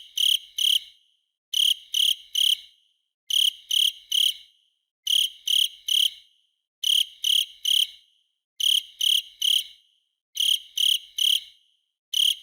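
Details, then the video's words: Shrill cricket chirps come in regular groups of three short pulses, a burst about every second and a half, with nothing else audible. "Cricket in Arabic | صرصار الليل"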